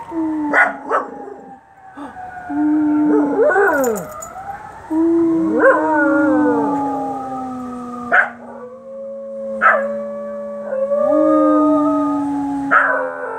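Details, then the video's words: Two Scottish Terriers, Precious the black one and Sophie the white one, howling at sirens: long sustained overlapping howls, some held steady, others sliding and wavering, with short sharp yelps breaking in. "Scotties howling at the sirens."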